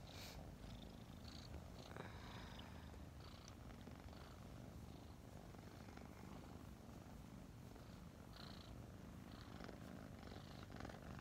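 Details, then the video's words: Newly adopted five-month-old kittens Mint and Mocha snuggle in the morning, producing a constant throaty purr, low and unbroken, with gentle fabric rustles layered over it. "Snuggling two purring kittens"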